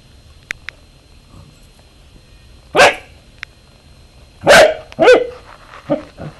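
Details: Pet Corgi, three years old, barks at a slinky during play. After a quiet start with a few tiny clicks, three loud, harsh barks land near the end, the last two close together, followed by a softer yip.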